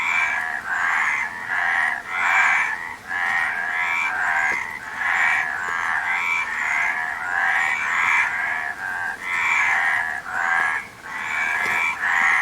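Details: Dense chorus of frogs, overlapping raspy, rattling croaks in bursts of roughly a second, one after another with only brief dips between them, steady and continuous throughout.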